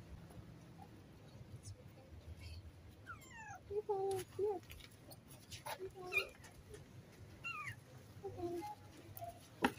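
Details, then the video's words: Friendly stray cat greeting a person, wanting to be petted and fed; several soft, short meows with falling pitch, spaced a second or two apart, over a low background rumble of traffic or wind. "Friendly Stray Cat Greeted me with the Cutest Meows and wanted to be petted and fed"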